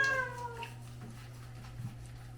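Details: Pet cat living at a pharmacy in Hongdae, Seoul, meowing while being bathed indoors: one short, descending meow at the very start, then a steady low hum and faint household noise.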